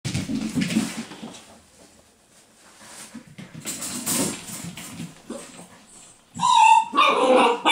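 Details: Sealyham Terrier puppy: soft rustling and quiet sounds early on, then a high, thin whine near the six-second mark followed by a louder burst of strained, tonal whimpering and yelping.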